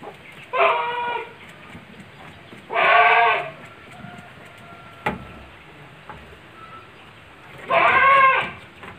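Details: Goats penned on a farm in Ngrambingan village, Panggul, Trenggalek, a group of three pregnant does and a young future buck. Three loud, harmonic, wavering bleats, each under a second, sounding at the start, middle and end, with quiet pen noise between.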